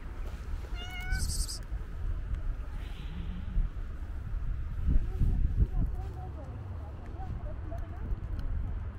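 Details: Calico cat with white paws, a stray among her feline friends, gives one short harmonic meow near the start, then falls quiet while a steady low rumble of wind and traffic-like noise fills the background.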